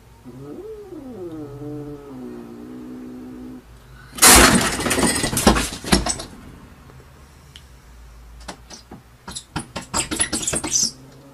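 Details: Domestic cat in a window showdown: a wavering yowl that swoops up and down, then flattens out over three seconds, followed by a loud burst of scuffling, banging noise and a series of sharp clatters and knocks.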